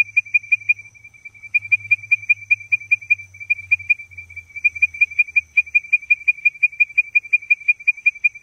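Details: Leptodactylus mystacinus giving its advertisement call: quick clipped whistles repeated nearly three times a second, with a brief pause near one second and another around six seconds, over a thin steady high tone and low background rumble.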